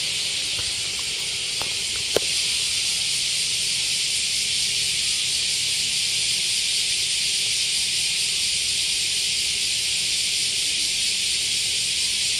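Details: Cicadas in Japan during cicada season fill the air with a steady, high, hissing drone that never lets up.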